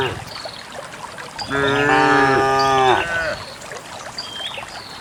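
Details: Dozens of cows heading en masse to a green valley in the countryside one quiet morning to find fresh grass; a single rich, slightly wavering moo lasting about a second and a half, with faint high bird chirps around it.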